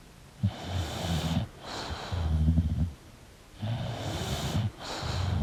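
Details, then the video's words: Sleeping English bulldog snoring: deep, rumbling low snores lasting about a second each, separated by quieter airy breaths, with a soft hiss between the snores. "English Bulldog Sleeping & Snoring Sound"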